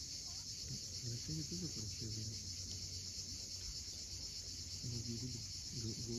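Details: Cicadas at sunset on the steep coast of Cape Fiolent, Crimea, give a steady, unbroken high hiss of massed calling, with low murmuring voice-like sounds surfacing underneath in short bursts.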